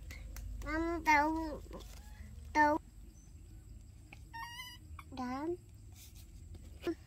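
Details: Baby monkeys Dorn and Dum in daily life: tonal, harmonic coos, some wavering, some rising, in short bursts, plus a thin high whistled note near the middle, over a low steady hum.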